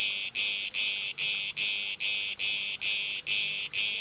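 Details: Camouflaged cicada on an olive tree at Elounda, Crete, Greece, calling with a regular train of loud, shrill, rasping buzzes, roughly ten pulses in four seconds, each separated by a brief dip in volume.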